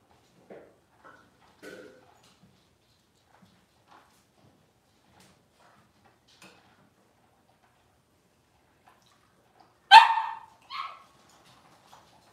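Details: Cavalier King Charles Spaniel puppies, six weeks old, during deworming and toenail trimming in their pen. Soft scattered squeaks and rustling over ten quiet seconds, then a sudden loud high yelp followed by a brief second cry near the end.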